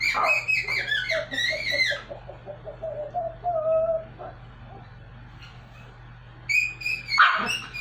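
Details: A small Pomeranian attempting to sing gives bright, warbling howls at the start, then a quieter stretch with a low steady tone, before a sharp yelp and renewed high howl near the end.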